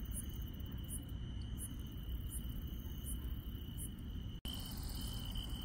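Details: Countryside insects at night keep up one steady shrill tone, with soft, high ticking pulses at irregular intervals; a short break in the sound occurs near the end over a persistent low drone.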